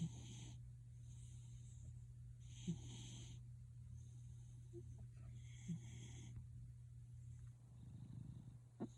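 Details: Snoring pet cat Gildong: irregular airy rasps spaced a few seconds apart, fainter toward the end, with a short soft rumble near the close and a steady low hum throughout.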